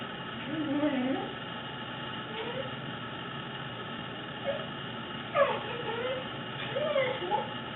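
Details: Fuji, a fluffy pet Corgi, making weird noises: scattered short whiny yips and wavering mid-pitched whimpers, some swooping up and down, over a steady background hiss, with a person's voice telling him to stop barking.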